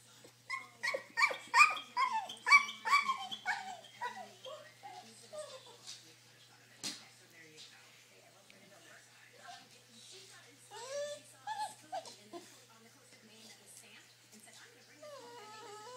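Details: Noisy dog wanting to go for a drive lets out a rapid burst of high, harmonic yelping barks, roughly ten in four seconds, then fainter whines and yips with a sharp click between them.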